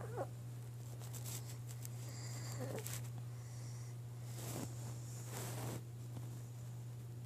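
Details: Pug named Maggie snoring, described as super loud: breathy, rasping snore bursts recur every second or two over a steady low electrical hum indoors.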